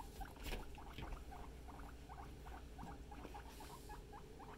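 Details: A family of pet guinea pigs makes quick chirping squeaks, around a dozen short notes in close succession, evenly paced, with a brief rustle near the start and a steady low background hum.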